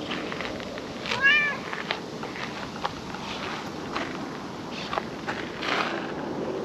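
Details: Tortoiseshell (calico) cat sitting on a table in a park in the evening sun; a single short rising-falling meow near the start, followed by faint rustles and background hiss.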